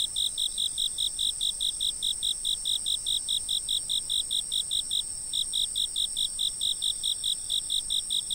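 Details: Insect chirping from a stationary camera, meant for sleep: steady rapid high chirps, a little over two each second, with one brief pause midway, above an unbroken shrill drone.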